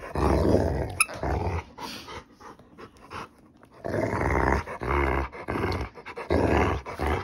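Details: Rottweiler dog in a bad mood, indoors, growling in low, rough rumbling bursts of roughly half a second to a second, separated by quieter gaps, with a sharp click near the start.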